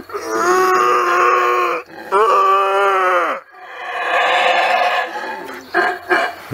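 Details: Howler monkey in Belize roaring: drawn-out, resonant calls with a hollow, moaning tone, each lasting over a second; a rougher, breathier roar follows, ending in short gruff pulses.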